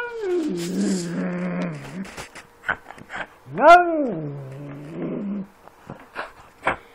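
A domestic cat makes unusual dog-like sounds: first a drawn-out, falling, throaty yowl, then a short, rising-and-falling woof-like call. A few softer clicks and quieter calls follow.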